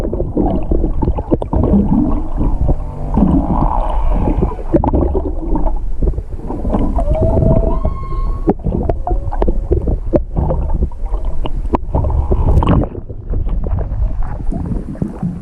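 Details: Singing humpback whale heard underwater off Hakohama, east of Chichijima, 21 February 2021, on a GoPro 7 from a halted boat: drawn-out tonal moans, one rising then holding as a clear harmonic note, amid constant water gurgling and splashes.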